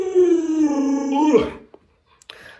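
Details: Pet Alaskan Malamute named Lolo, frightened by its masked owner, gives a sustained sliding howl that breaks off after about a second and a half, followed by brief soft human sounds.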